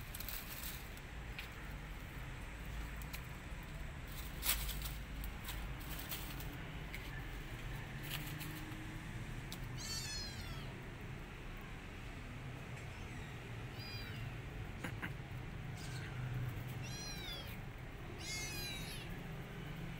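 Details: Rescued kitten, feeling alone and needing its mother, gives thin high-pitched meows in short bursts from about ten seconds on, several in quick succession near the end, over a steady low rumbling background hum.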